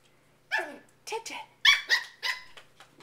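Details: Papillon puppy, nine weeks old, indoors during a nighttime play session with a cat, gives a quick run of about five short, high yapping barks with falling overtones, spaced a few tenths of a second apart.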